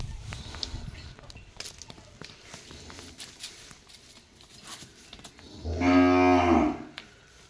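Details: Brahman calf, 17 days old, tethered to keep it from overfeeding on milk, gives one loud, drawn-out, harmonic-rich moo lasting about a second, after a stretch of quiet shuffling and faint background noise.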